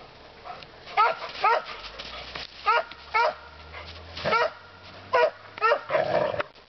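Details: Pet dog in the woods, one of two dogs out together, giving about eight loud, clipped barks, some in quick pairs, spaced irregularly over several seconds against a quiet background.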